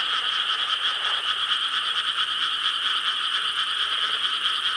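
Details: Frogs calling en masse from rice paddies in Korea on a summer night, 4 July 2013; an unbroken, even chorus of dense croaking with little change in loudness throughout.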